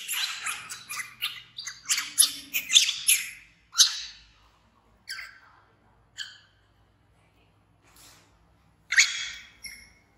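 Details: An orphaned infant monkey, rescued from the jungle and raised by villagers, screaming loudly because it wants to follow its busy mother: shrill, piercing cries in a rapid run for four seconds, then spaced single screeches.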